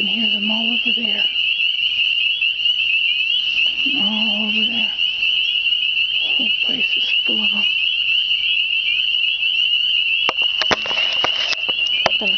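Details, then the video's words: Many spring peepers heard but not seen in spring, giving an unbroken shrill peeping chorus while a woman speaks in short phrases over it and some handling noise follows. "Spring Singing frogs"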